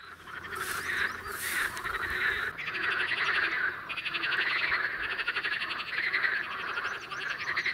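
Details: In spring at a small, calm, green pond, common water frogs and pool frogs form a dense chorus. Many males croak in rapid, rattling, overlapping pulses from two sides of the water, each trying to lure females.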